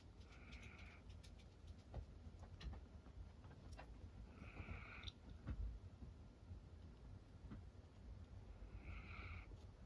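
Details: Roro, a female cream Miniature Dachshund born in 2010, snoring while asleep on her owner's lap indoors; soft whistling nasal tones rise with each breath, about every four seconds, over a low breathy rumble in a quiet room.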